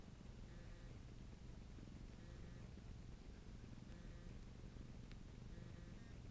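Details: Bob, a pet cat, purring while kneading, or "making muffins", indoors; a steady low rumbling purr runs throughout, with faint soft clicks and a light hiss in the background.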